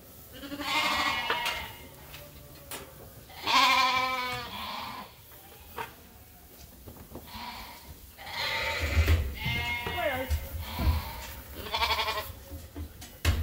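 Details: Flock of sheep and lambs at Ewetopia Farms waiting to be fed, several overlapping quavering bleats of varied pitch spread across the recording, with low rumbling and handling noises beneath.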